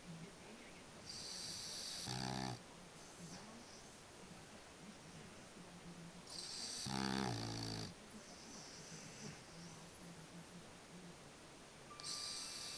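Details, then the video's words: A sleeping French Bulldog snores. Two loud, rough, rattling snores about five seconds apart, each with a buzzy low rumble and hissy breath noise, and soft breathing between them in a quiet indoor room. "french Bulldog "Spike schnarcht"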